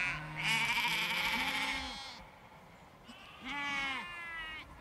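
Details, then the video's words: Flock of sheep and lambs in a field: a burst of overlapping bleats, low steady ewe calls under a loud quavering lamb cry, a short lull, then another trembling bleat over a deeper voice. "Large Flock Of Sheep and Lambs Bleating In Field"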